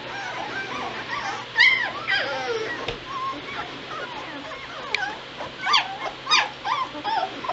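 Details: A litter of White Shepherd puppies at two weeks old, November 22, 2016, whimpering in short, high, wavering squeals that rise and fall, several overlapping in bursts with brief pauses.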